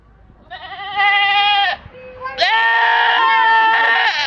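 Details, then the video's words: A goat gives two long, loud, humanlike screams. The first is steady and harmonic-rich. After a short pause the second starts with a sharp jump upward and is held, strained and wavering, for about two seconds. "Goats Screaming like Humans"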